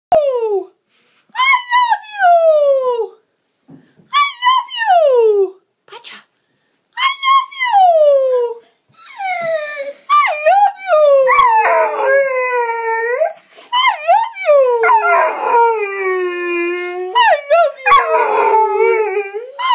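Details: A 5-month-old Rhodesian Ridgeback puppy sings in drawn-out, wavering howls that slide down from a high whine.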